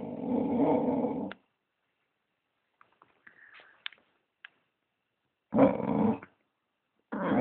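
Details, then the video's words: British bulldog Maggie O'Brien wanting some attention: a long rough, throaty growling grunt lasting over a second, then near quiet with faint clicks, then a second shorter growl and the start of a third. "British bulldog Maggie O'Brien wanting some attention"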